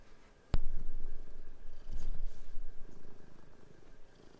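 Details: Domestic cat indoors, helping with bed sheets and playing with another cat; a sharp click opens a steady low purr rumble that swells near two seconds, with fabric rustling over it.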